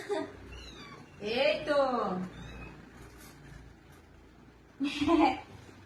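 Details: A frightened domestic cat standing still while being bathed gives drawn-out, wavering meows, one rising then falling over about a second, another short one near the end, while a woman talks in Bengali.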